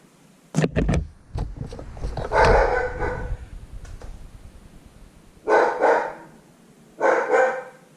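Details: Household German Shepherd barking in the background while a motorcycle is being repaired; after some clattering and a man's voice come three bursts of loud, rough barks, each lasting under a second and spaced a few seconds apart.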